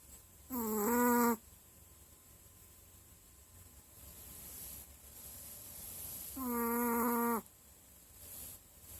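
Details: Sleeping dog: two nasal, whistle-like snores about six seconds apart, each roughly a second of steady buzzing tone with a small pitch step, quiet hiss in between.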